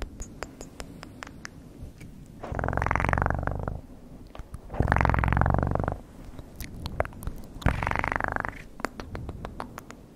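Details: Three short bursts of low rumbling cat purr, each about a second long. Between them come frequent sharp clicks and taps.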